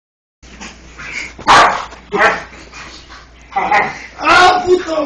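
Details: An English Bull Terrier gives short, rough yips and barks in scattered bursts while rough-housing with a person, with a person talking.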